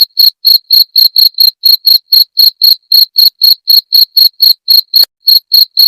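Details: {'caption': 'Cricket chirping as a rat deterrent: about twenty-two piercing, even pulses at a rate near four per second, a short pause just after the fifth second, then the rhythm resumes.'}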